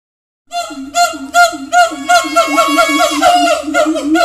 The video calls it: siamang.. suara ramai sekali